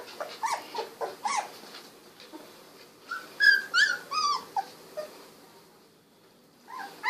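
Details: Young Golden Retriever puppies, sixteen days old, whine in short, rising-and-falling squeaks, several quick notes in a row, then a brief quiet spell before another whine.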